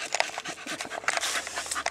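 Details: Bella, an 18-month-old female Blue Staffordshire Bull Terrier, refusing to walk home because she would rather ride in the car; quick, breathy panting bursts repeat rapidly through the whole clip, close up in a small enclosed space.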